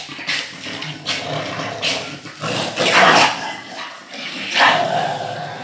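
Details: Playful tug of war between an American pitbull and a Staffordshire bull terrier: loud, gravelly growls rising in several strong surges a second or two apart, mixed with snorting breaths and scuffling.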